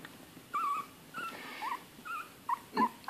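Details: Young Bichon Frise x Yorkshire Terrier puppy, 19 days old, one of a litter of four, whimpering softly indoors on September 4th: several short, thin, wavering whines spaced over three seconds against a faint hiss.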